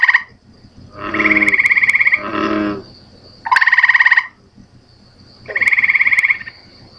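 Gray treefrog giving loud, musical trills, each about a second long, repeated every couple of seconds.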